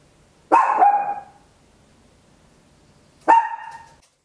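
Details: A Papillon, a tiny dog, gives two loud barks at home, about three seconds apart, each with a brief echoing tail; stereo recording on an Olympus LS-11.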